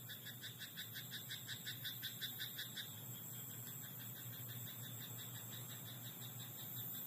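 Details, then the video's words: Frog croaking at night in a rice paddy, a brisk, regular burst of pulsed notes, roughly three each second, for under three seconds, then only a constant high insect whine and low background hum remain. "田んぼのカエル "Croaking frog in rice paddy at night""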